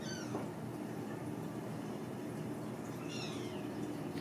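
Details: Ragdoll kittens raised uncaged in a home cattery in central Kansas; two thin, high, downward-sliding mews, one at the start and one near three seconds, over a steady low hum.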